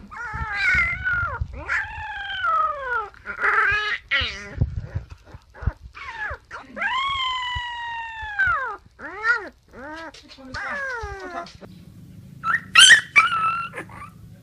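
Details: Siberian Husky puppies, a breed that howls to talk with its owners, howl in high, wavering notes that rise and fall in short arcs.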